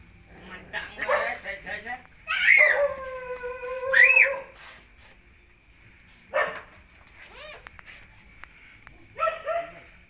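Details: Whines from puppies at feeding time: a high, thin cry that rises and falls at its start and end, with softer whimpers, short squeaks and bursts of noise across the rest of the recording.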